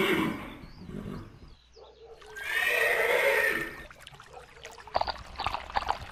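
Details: Horses from a galloping herd: one loud, harsh, quavering whinny lasting about a second and a half mid-clip, with quieter muffled sounds before it and faint knocking noises near the end.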